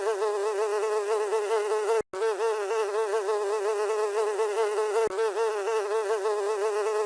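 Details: House fly buzzing: a steady, droning hum with a nasal, wavering pitch, broken by a short silence near two seconds and a brief dip near five seconds.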